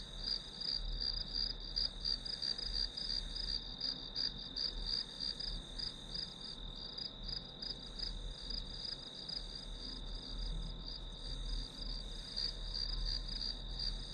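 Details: Grass insects as a study-session background: a steady, high, shrill chirring band with fast pulses running throughout, accompanied by a faint low rumble.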